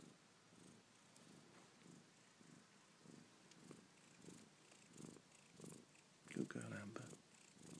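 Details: A two-day-old Maine Coon kitten, one of a litter of three with their mother, purrs in a low, steady rumble, with a brief louder vocal burst near the end.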